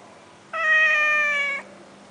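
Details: A resort cat in Langkawi gives a single clear, even-pitched meow of about one second, with a faint steady hum behind it.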